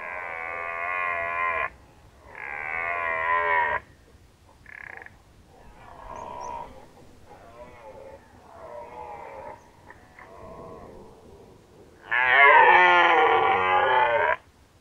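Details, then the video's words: Red deer roaring during the rut in Nationalpark Unteres Odertal, Germany, autumn 2019: loud, harmonic bellows lasting about two seconds, in separate bursts with quieter, grunting roars between them. "Hirschbrunft 2019 (red deer rut 2019)"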